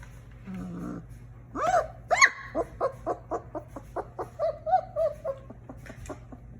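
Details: A 3-week-old German Shepherd puppy, born a singleton, gives a string of short, rising yelps and squeaky whimpers, each lasting a fraction of a second. A faint steady hum sits underneath.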